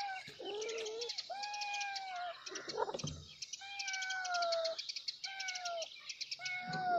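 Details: Several kittens call for their mother with a run of long, clear meows, each held about a second and sliding gently downward, separated by short pauses, while birds twitter continuously behind them.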